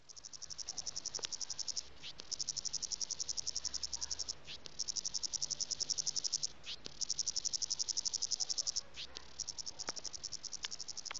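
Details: A cicada calls for a mate in a South African garden in the Western Cape on a hot January summer day, about 40°C, with a shrill, rapidly pulsing high trill broken by brief pauses.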